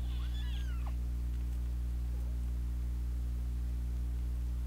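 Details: Fighting kittens, two siblings battling since their second day, let out a sharp, high squealing meow with wavering, bending overtones in the opening second, followed by a faint short squeak; a steady low electrical hum runs throughout.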